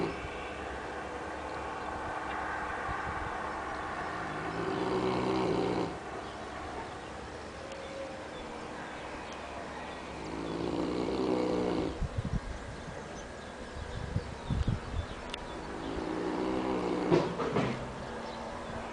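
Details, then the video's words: Sleeping Neapolitan mastiff Annibale in Capaccio, Salerno, Italy, snores in an exaggerated way: deep, harsh, rumbling breaths swelling every five to six seconds, with brief clicks and rustles between them. "Annibale the neapolitan mastiff snore"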